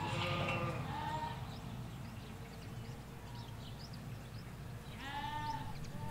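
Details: Ewes and lambs in a field in the Hampshire countryside, recorded in stereo from a hedge. Two loud, wavering bleats, one at the start and another near the end, with a faint chirp of small birds and a low rumble underneath.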